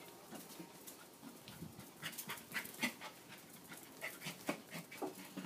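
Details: Young female corgi, three months old, racing around in playful zoomies; rapid rhythmic panting, about four breathy huffs every second, each a short broadband puff, steady and close.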